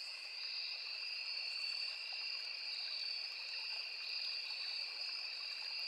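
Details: Near a small forest stream, crickets and cicadas keep up a continuous piercing shrill hum in two stacked pitches, steady throughout, with the murmur of flowing water in the background.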